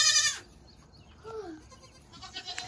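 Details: Baby goat from the 2022 kidding season giving one loud, high, quavering bleat in the first half-second, then near quiet with a few faint, thin calls trailing after.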